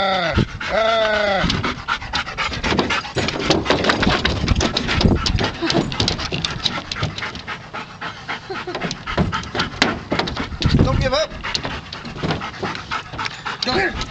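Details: Two yellow Labrador Retrievers fighting in the back of a pickup truck: rapid, rough, breathy panting pulses run throughout, with a few whiny tonal sounds early on and near the eleventh second, while people shout encouragement over the scuffle.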